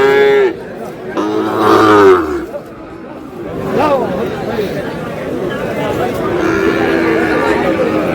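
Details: Sahiwal bull calves at a cattle market where a farmer from Comilla is buying, 10 March: two loud, drawn-out bawls with rich harmonics, the second falling in pitch, then steady crowd chatter and men talking.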